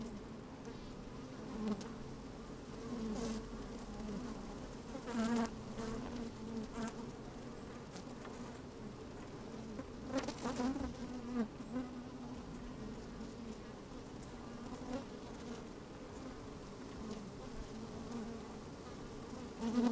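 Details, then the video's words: Honey bees at work in an open hive on a fine sunny day, microphone placed inside: a sustained hum with repeated short buzzing flares every few seconds, one stronger burst around the middle, faint wind noise. "Open Beehive - One Hour Video and Audio"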